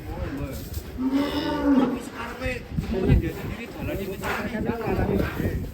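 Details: A cow runs amok and escapes its pen. It gives a long, strained, harmonic moo early on, then shorter rougher calls, against heavy background noise and excited human chatter.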